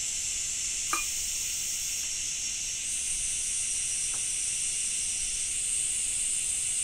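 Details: Cicada singing in a Japanese summer with rain: a steady, dense high-pitched hiss-like drone, one brief sharp click near the start, no other clear sounds.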